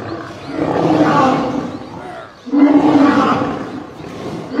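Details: Lion roars during a fight in which a male lion is attacked and killed by a group of lionesses; two long, broad, rasping roars, each lasting over a second, with low growling between them.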